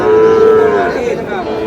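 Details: A Sahiwal bull calf at a busy cattle market in Satkhira, Bangladesh, on 10 May gives one loud, sustained moo, a steady tone that slowly sinks and fades into a hoarse tail, with faint crowd murmur behind.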